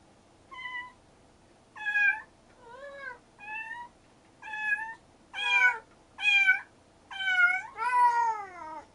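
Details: Rescued stray kitten siblings, Mugi and Choco, calling back and forth: about nine clear, harmonic meows spaced roughly a second apart, some rising then dropping, others level, growing louder toward the end.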